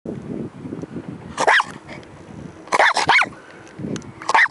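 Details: Two-year-old Jack Russell × Pug cross, a jug, barking in a park: short, sharp, harsh barks come singly and in a quick cluster of three, spaced by pauses over low rumbling background noise.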